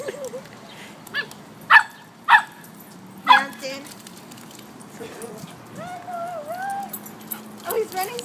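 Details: Samoyed and Chow puppies at play by the water: three sharp barks in quick succession, followed by a person talking and soft whining sounds.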